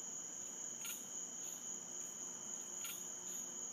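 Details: Unidentified animal heard every night from different places in woods in central Florida, making a chirping/clicking noise: short bright chirps at uneven intervals of roughly half a second, over a steady high, shrill insect-like drone.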